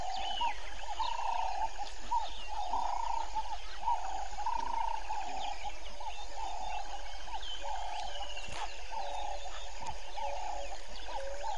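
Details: At Vuyatela Pan, Djuma Game Reserve, South Africa, 05:20 on 01/05/19, where grey foam-nest tree frogs nest: a steady run of throaty, mid-pitched croaks lasting almost a second each, with a constant chorus of insects and birds underneath.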